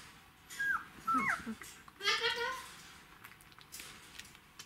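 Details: Twelve-day-old Czechoslovakian Wolfdog puppies of Orizon and Rahan, December 2020: short high squeaks falling in pitch, then a louder, rising harmonic whine, followed by quiet rustling.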